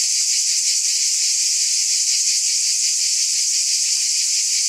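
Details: A chorus of cicadas produces a dense, unbroken high-pitched buzz with a faint shimmering pulse. The loudness stays steady throughout, and no other sounds are heard.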